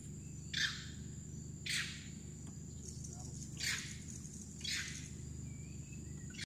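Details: Wild monkeys on the Kinabatangan River, Sabah, Malaysia, give harsh, hissing alarm shrieks, repeated every second or so, warning of crocodiles in the river.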